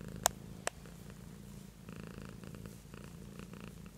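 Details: Soft low purring from Beatrice, a pet cat, a quiet steady rumble with faint breath pulses, opened by two sharp clicks.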